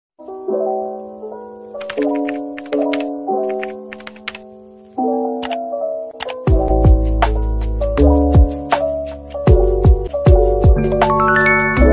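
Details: Plucked, bell-like melodic notes play in a slow pattern, followed by a louder, fuller stretch of music with sharp percussive clicks and rising tones, and no animal voice anywhere.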